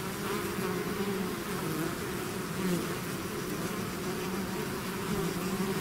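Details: Swarming bees outside their hive produce a dense, continuous hum, layered bands wavering slightly in pitch, with a faint hiss above and no other sounds.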